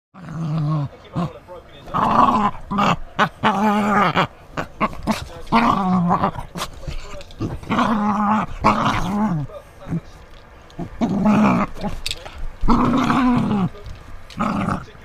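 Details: English Springer Spaniel Molly, a pet female dog, in crazy noise mode while playing with toys or when her toes are threatened: throaty, grumbling growl-moans in repeated bursts of one to two seconds, with brief gaps and some human voice.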